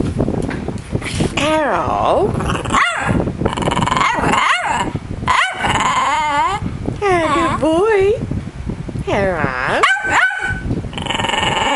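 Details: Pet dog indoors trying to say hello during practice, giving a run of wavering, howl-like yowls that rise and fall in pitch, separated by short pauses, with fan noise from the microphone throughout.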